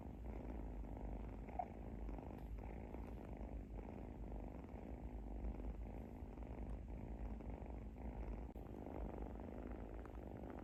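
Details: Little kitten asleep and snoring, a soft even rumble with dense rapid pulsing and almost nothing high-pitched, unbroken for the whole stretch apart from one faint click near the start.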